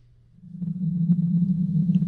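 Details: Blue whale (Balaenoptera musculus), vocalization.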